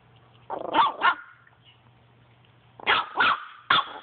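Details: Chihuahua at play with a Boston Terrier, the dogs Enzo and Zelda: two sharp, loud barks, a pause of nearly two seconds, then three more quick barks over a faint steady low hum.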